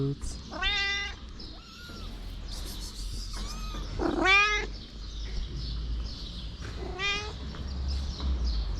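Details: Street mother cat with kittens: several meows of varying length, one strong rising-falling call mid-way and another near seven seconds, with faint high kitten-like squeaks and low background rumble.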